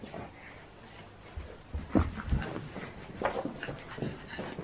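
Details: Pug puppy named Pablo playing with an old mattress cover as a new play mat indoors; quick irregular snuffly panting and breathy huffs, a few louder bursts near the middle, in a small quiet room.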